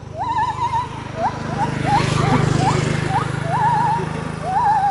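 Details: Gibbon singing as it moves through the trees: rising whooped notes and wavering trills repeated about once a second, partly masked by a loud steady low drone and broad hiss.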